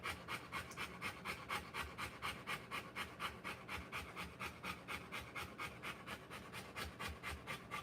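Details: Rottweiler in labour, delivering puppies, breathes in a steady run of airy panting strokes, about two each second, regular and unbroken over a low indoor hum.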